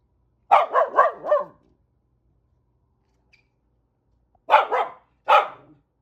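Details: A corgi gives a quick run of sharp, mid-pitched barks at cranes and geese, then pauses and barks again.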